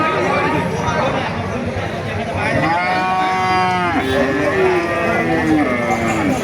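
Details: Indian bullock cattle for sale at a market in Thakurgaon district, Bangladesh, in 2025, giving one harmonic moo of about a second and a half, followed by a lower, drawn-out call, over dense crowd chatter.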